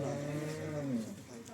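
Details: Cholistani Jersey cross cow offered for sale in Pakistan, March 2025: a short moo of about one second, a low steady tone that slides downward at the end, with a faint voice behind.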